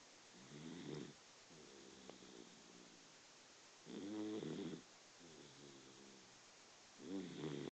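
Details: Sleeping Dachshund snoring quietly, captured with a phone: low, buzzy drawn-out snores alternating with softer breaths, about every three seconds, over steady background hiss.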